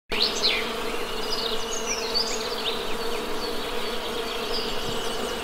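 Honey bees buzz in a steady, low droning hum while birds chirp brightly overhead.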